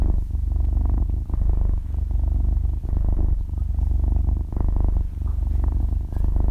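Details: Sleeping half-year-old kitten, recorded at very close range, purring loudly; low motor-like rumble rising and falling in breath-long waves about every second and a half, short quiet gaps between swells, no other sounds.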